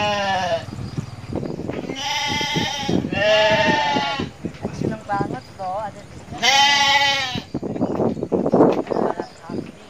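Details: Young shepherd playing with goats in Indonesia: several drawn-out, quavering nasal bleats, one short and two longer, alongside a thin wavering call, with human speech and rustling between them.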